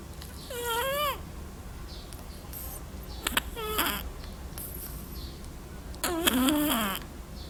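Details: Black little cat snoring with three breaths, each a wheezy rush topped by a clear whistled tone that bends up or down, over a faint low hum.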